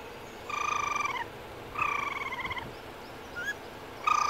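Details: A male baby raccoon (kit) gives high, quavering, bird-like twitters in short pulsing bursts.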